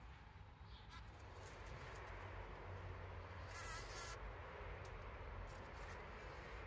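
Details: Bees collecting pollen on 17 June 2023, captured by a trail camera: a steady low droning buzz runs throughout, with brief higher hissy bursts near the middle.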